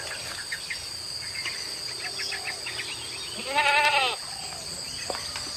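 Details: Village goat grazing wild grass in open grass fields, where the herd is let out from morning to evening; a single wavering, harmonic-rich bleat rises midway, set against steady insect chirring and small scattered chirps.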